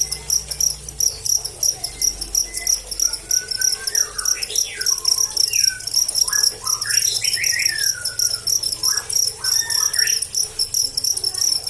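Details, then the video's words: Cricket chirping with a bright, high rasping pulse that repeats evenly throughout, while several short whistled bird notes, some rising and some falling, sound in the middle range. "Suara Jangkrik"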